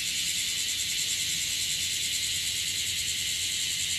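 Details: Many bear cicadas calling in Okinawa, more than the day before, producing a steady, intense, high-pitched buzzing wall of sound with slight fast flutter and faint low-pitched background noise.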